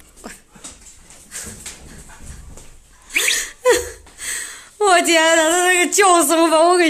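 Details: Siberian Husky being shaved indoors so its paw print can be taken. People talk over soft handling noise, then the dog gives a loud, sustained, wavering wail that breaks briefly and resumes.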